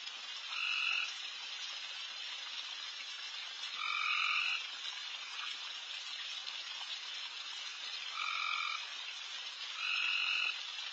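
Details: Frogs calling loudly everywhere around a backyard at night, a steady high-pitched chorus punctuated by four louder tonal trills, each about half a second, repeated every two to four seconds.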